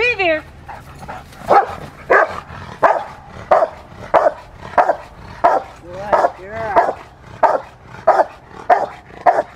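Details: Rottweiler Fire v LordsNLadies during schutzhund (IGP) protection training: a brief voice at the start, then loud, deep barks repeated about every two-thirds of a second, each a harsh burst, steady and insistent throughout.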